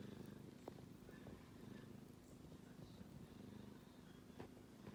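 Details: Kitten snoring while asleep, heard as a soft, low rumbling purr-like drone that swells and fades in slow breathing cycles about every second or two, with faint room noise behind.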